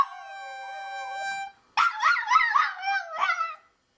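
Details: Female pet dog howling in reaction to a harmonica: a steady harmonica tone first, then a break and a wavering, yelping howl that rises and falls in pitch in several linked bursts before fading.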